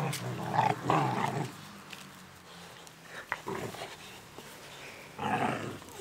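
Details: Eleven-week-old Boerboel puppy, described as angry, giving rough growling bursts mixed with short barks, separated by quiet pauses in what sounds like a small room.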